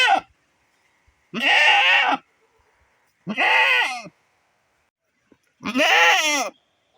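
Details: A goat separated from her herd, kept back because her baby beside her is ill with diarrhoea, bleats three times, each a long wavering, nasal cry, longing for the herd.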